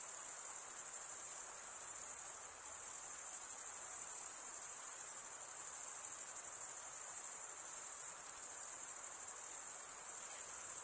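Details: Chorus of chirping crickets, males rubbing serrated wing veins together, giving a continuous shrill, finely pulsed high ringing that barely varies, with a couple of slight dips in loudness and soft background hiss.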